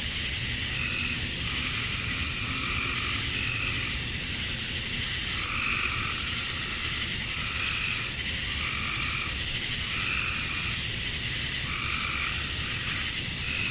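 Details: Male cicadas chirping to attract females at dusk on a summer night in Georgia, USA; a steady high, hissing drone with lower pulsed calls rising and fading about every second throughout.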